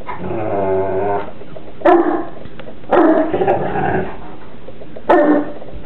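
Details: Two Newfoundland siblings wrestling in play indoors: a long, low rumbling growl, then three short, rough growling barks at roughly one-second intervals, with background music and a person talking nearby.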